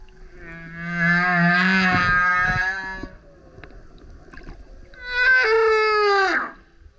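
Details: Male humpback whale singing loudly while surfacing beside a kayak: two long harmonic moaning units, the first low and steady for about two seconds, the second a higher howl sliding downward at its end, with a quiet gap between.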